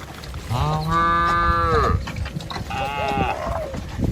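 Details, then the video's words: Tame village cows are led in single file over a wooden bridge toward lush grass beside wet paddy fields. One long, steady, resonant moo is followed by a shorter, higher bellow that trails off. "Gembala Krumunan Sapi Lembu Jinak Berjejer Melewati Jembatan Kayu Menuju Rumput Sedap Suara Moouu"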